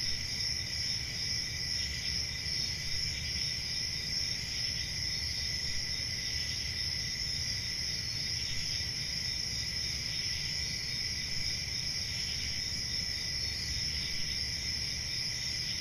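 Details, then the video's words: Crickets chirping on a summer night in the forest, an even, ceaseless high-pitched shimmering chorus of overlapping trills, accompanied by steady low-frequency rumble. "Summer Night Cricket Sounds"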